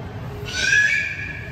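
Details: A beluga whale playing with its toys gives a clear, slightly rising whistle with a squealing edge lasting about a second.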